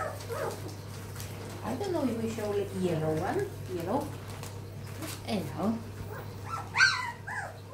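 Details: Cocker spaniel puppies from a litter, mother named Ruby, give short high whimpers and whines, rising and falling, scattered through the clip with one sharper squeal near the end, over close indoor human talk and a steady low hum.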